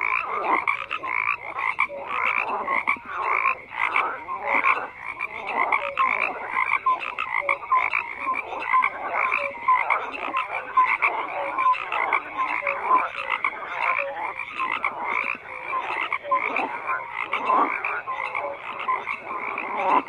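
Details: Frogs croaking together in a dense, continuous chorus of overlapping rasping pulses, with short tonal notes scattered through the mass of calls; no other sounds stand out.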